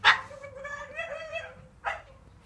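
A Staffordshire Bull Terrier gives a sharp yap, then a drawn-out, slightly rising whining vocal.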